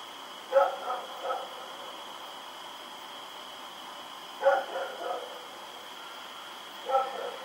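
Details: A dog named Rex barks while running around in the night, recorded October 7, 2018: three bursts of two or three quick barks a few seconds apart, with a constant thin whine behind.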